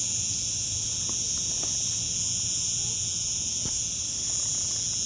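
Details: Cicada singing in Lagos, Portugal: a continuous, unbroken high-pitched buzzing drone that holds steady throughout, with faint low background rumble and a few soft clicks.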